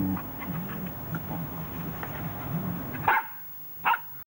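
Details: Samoyed named George playing with a person in August 1987: a steady low background hum for three seconds, then two short, sharp barks about 0.8 seconds apart.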